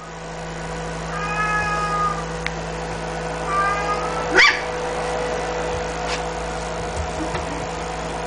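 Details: A 47-day-old female smooth-coat Chihuahua puppy, blue and white, in Osaka on 19 May, gives thin, high whines followed by a sharp rising yelp.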